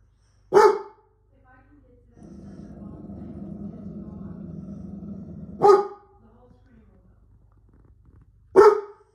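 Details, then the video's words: A domestic dog barks at a computer screen, starting again whenever the screen changes. Three loud single barks, several seconds apart, with continuous computer sound playing between them. "Dog Barks at Computer Screen"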